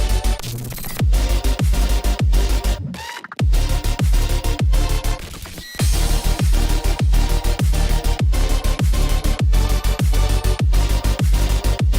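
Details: Electronic dance music with a heavy steady beat plays throughout, briefly dropping out near three seconds; no animal sound.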